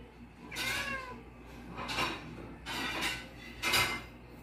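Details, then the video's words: Domestic cats begging for food at the owner's dinner: a short wavering meow followed by breathy, noisy bursts roughly every second, with faint clatter of dishes. "My Cats Hunger and Say "Meows" for Food"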